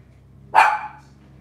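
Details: Cavalier King Charles Spaniel puppies from Robin's litter, filmed on a Wednesday morning by a kitchen camera: one sharp, bright bark with a sudden start and a fading tail, over a low steady hum.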